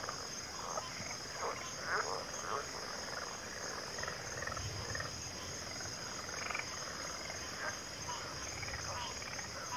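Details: Frog chorus: a dense, murmuring wash of many frogs calling at once, with scattered short croaks rising above the blend and a steady high whine running over everything.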